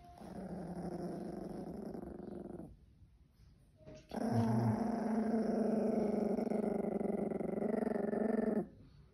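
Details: Russian Toy Terrier growling: a steady, tonal, buzzing growl with strong even harmonics lasts about two and a half seconds, breaks off, then resumes as a longer unbroken growl of about four and a half seconds.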